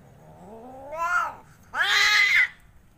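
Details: Domestic cat, an Angora or Persian, gathered with other cats. A long meow slides upward and swells, then after a short pause a louder, bright, sustained second meow holds steady before cutting off, over a quiet low hum.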